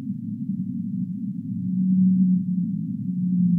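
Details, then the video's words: Humpback whale singing as a sleep sound: a low hum grows louder into a sustained, steady moaning note, followed by a second shorter moan near the end. "Humpback Whale Singing"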